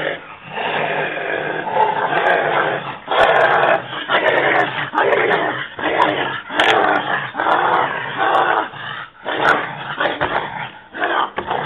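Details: American Pit Bull Terrier, five months old, during attack training: harsh growls and gruff barks in bursts about once a second, uneven in rhythm, with a man speaking Arabic between outbursts.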